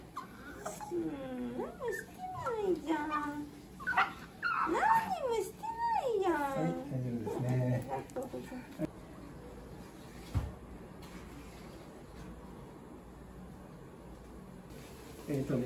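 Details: Shiba Inu puppy named Choco, a male born 5 October 2020 in Aichi, crying during his second vaccination at the vet: loud wavering wails that rise and fall, repeated over the first eight seconds, with people talking and quieter room noise after.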